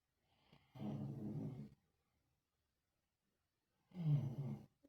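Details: Sleeping Lhasa Apso snoring indoors, a breed said to snore heavily: two long, low, rumbling snores, each lasting about a second and roughly three seconds apart, with near silence between them.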